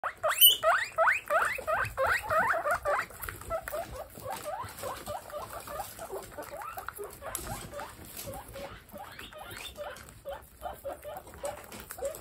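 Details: Baby guinea pigs in a home herd of 27 make rapid repeated squeaky chirps, rising then falling, about three per second, loudest in the first three seconds, then softer chattering squeaks continuing beneath faint rustling.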